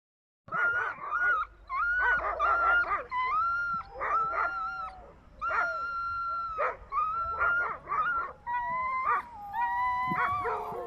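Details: Sled dogs in Sisimiut, Greenland, bark, yelp and howl together in a high, wavering chorus of overlapping voices.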